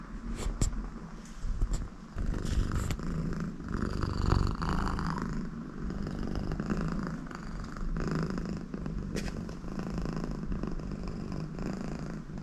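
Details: Contented American Shorthair cat purring with its owner beside it: steady low rumbling purr throughout, with snoring-like nasal sounds and occasional soft clicks and rustles.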